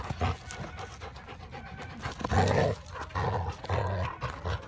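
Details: Yellow Hildy and chocolate Harvey, two friendly dogs, wrestle playfully for a tennis ball, giving rumbling low growls in a few longer surges, with breathy panting in the gaps.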